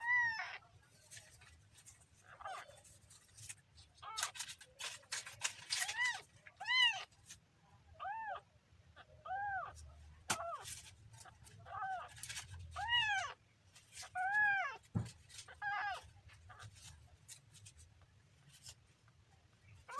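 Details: Kitten mewing repeatedly in short arched calls, about a dozen across the stretch, with soft clicks and handling noises between them.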